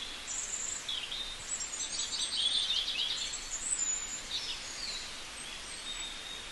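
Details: Young raccoon alone while its mother is away, giving soft high twitters and quick trilled chirps in rapid uneven runs, loudest midway, against steady outdoor hiss.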